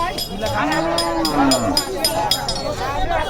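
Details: Cattle at the Hazratpur Paragram cattle market, sold for Qurbani in 2024: a low, drawn-out moo rising then falling, heard under a man's voice talking about the price, with crowd noise and sharp clatter throughout.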